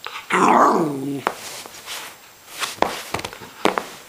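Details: Irish Terrier puppy, 13 weeks old and just discovering his voice, playing: one loud, drawn-out yelping bark lasting about a second and falling in pitch, then scattered clicks and thumps of play.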